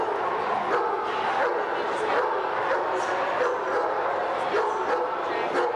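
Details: Alaskan Malamutes in Louisville, Kentucky, on March 20, 1990, giving a dense, continuous chorus of short harsh barks, roughly one or two each second, over faint tonal whines.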